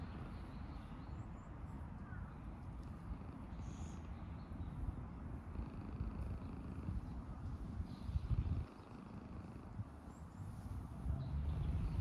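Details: Mackerel tabby cat relaxing on a lap after finding the cat house full, purring in a steady low continuous rumble throughout; faint high bird chirps in the background and a brief louder rustle near the eighth second.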